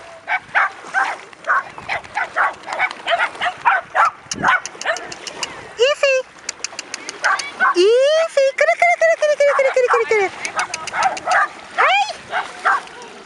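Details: Seven dogs, a mother with her six 10-month-old pups, play on a beach at a litter reunion on 3 August 2011. Rapid repeated barking is joined by drawn-out, arching high yelps and whines in the middle, with voices nearby.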